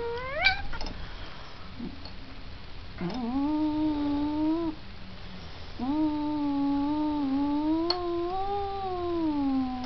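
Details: A big-headed domestic cat caterwauls indoors, giving long, low, drawn-out moaning yowls lasting one to three seconds each, steady in pitch with slight wavering, preceded by a short rising cry, over faint background hiss.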